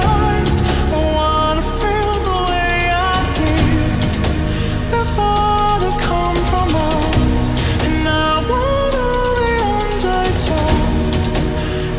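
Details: Pop music with a sung melody plays steadily throughout, with a dense beat and no animal sound.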